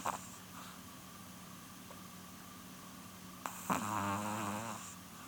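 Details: Nearly twelve-year-old female Chihuahua Polun asleep indoors, giving one long, buzzy, vibrating snore on an inhaled breath after a quiet stretch, a faint steady hum in the room.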